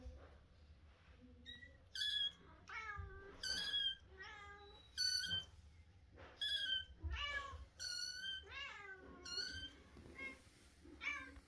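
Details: Russian Blue kitten squeaking repeatedly indoors, about nine high, thin meows, each bending down in pitch, coming roughly every second with short quiet gaps, over a faint low hum.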